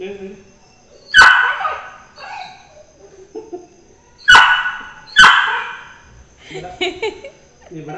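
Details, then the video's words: Labrador Retriever puppy, jealous while a beagle puppy is pampered, lets out three sharp, bright barks spaced a few seconds apart, with softer whines and yips between; people talk in the background throughout. "#Labrador puppy feels jealous about,pampering #Beagle puppy"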